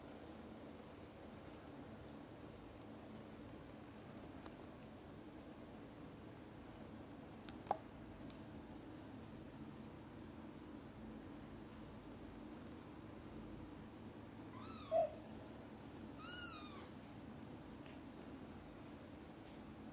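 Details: A mother cat gives two brief, bright chirping calls in a quiet room to summon her kittens, which are busy playing and sleeping, at lunch time.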